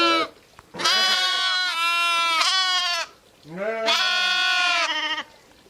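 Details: Ewes and lambs bleating: long wavering cries with rich harmonics, one deeper voice beneath higher ones, in two bouts with short quiet gaps.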